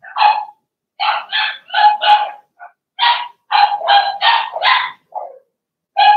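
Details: Blenheim Cavalier King Charles Spaniel puppies, a litter of six in a home puppy pen during potty training; loud, high, clear puppy barks in quick series of two to four, with short pauses between bursts.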